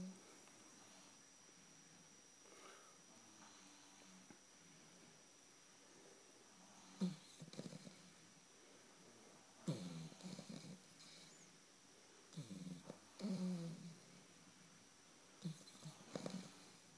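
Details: Snoop, an 8-week-old blue Shar Pei puppy, snoring in sleep: soft, low, throaty snorts in four irregular bursts roughly three seconds apart, each a short run of rough breaths, over a faint steady room hum.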